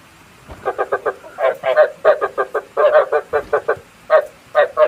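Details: Decoy frog calling for night trapping: rapid runs of short, raspy croaks repeated in bursts of three to five, separated by brief pauses, loud and close.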